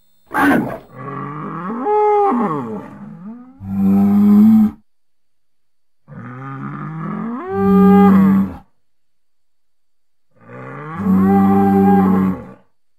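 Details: Bull in natural surroundings repeatedly bellowing, three drawn-out moos about four seconds apart, each starting rough and strained then settling into a steady, very low droning tone, with quiet gaps between calls.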